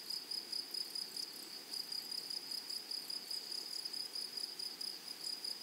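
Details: Shrill, evenly pulsed buzzing of grasshoppers on a flowery prairie meadow, the bursts coming fast and regular throughout, with only gentle background hiss beneath.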